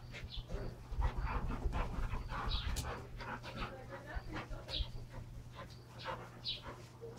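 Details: Two Standard Poodles, Brizz and Copper, wrestle hard while playing with their toys; rough huffing pants and low growly bursts tumble over one another at an uneven pace amid scuffling noise and a steady low hum.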